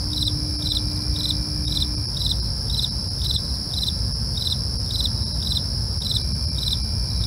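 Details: Crickets at night: high, short pulsed chirps repeated about twice a second over a steady, shrill continuous ringing and a low, constant rumbling background.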